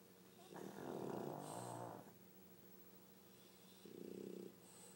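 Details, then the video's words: Sleeping pug named Pangpang snoring in a duet with Pipi, a French bulldog: two rasping, harmonic snores, a long one lasting over a second and a shorter one, separated by quiet breathing. "巴哥犬 二重奏的打呼聲"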